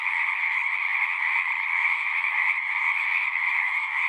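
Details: Dense chorus of many singing frogs, a steady overlapping trilling wall of sound with two bright bands, one high and one lower, continuous and unbroken, no other sounds standing out.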